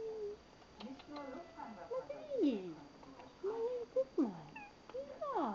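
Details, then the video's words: Persian-mix house cat giving a run of short and medium meows, some falling steeply in pitch, interspersed with a person's soft murmured words and a faint constant hum. "Süße miauende Katze! Sweet mewing cat!"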